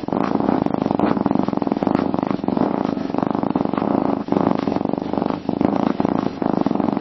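A domestic cat purrs in a deep, even, vibrating rumble that runs almost without a break. Two short dips mark the moments the cat draws breath before the purring carries on.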